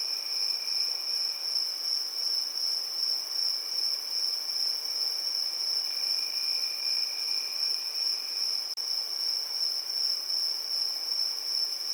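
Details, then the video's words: Crickets chirping through a summer evening, a bright constant high whine pulsing slightly in loudness, a softer lower trill alongside, and one brief click near the end. "Relaxing Evening Cricket Sounds"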